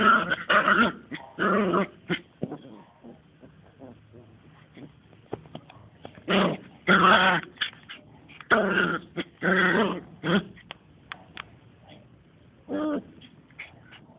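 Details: Two-month-old Smooth Fox Terrier puppies at play: harmonic, whiny growls and yelps in about ten uneven bursts of half a second to a second, with quieter snuffling gaps between them.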